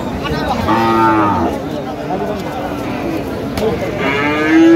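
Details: Cows at Aftabganj cattle market on 1 November 2025, where thin, bony cows are sold cheaply: a low, drawn-out moo near the start, then a second rising low toward the end, over market chatter.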